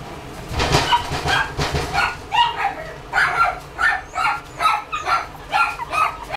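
A Toy Poodle gives a rapid run of high, sharp yips, about two each second.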